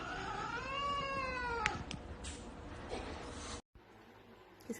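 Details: Domestic cat in a funny pet compilation, giving one drawn-out, rising-then-falling meow, followed by clicks, rustling and a brief break.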